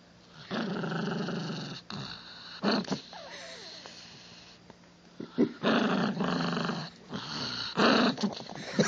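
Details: Pet Chihuahua growling indoors, long raspy snarling stretches broken by short gaps, with sharp yipping bursts near the end.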